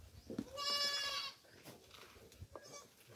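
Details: A single drawn-out, nasal goat bleat lasting nearly a second, rising slightly and then steady, from a farm goat being fed coconut pulp; soft shuffling and clicks follow.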